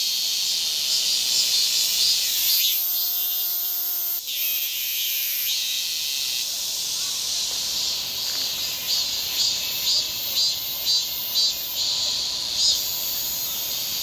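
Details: Cicada chorus in a nature recording with wind and grass insects: a dense, steady high buzzing hiss with soft pulses about twice a second, interrupted midway by a brief low tonal drone with stacked harmonics.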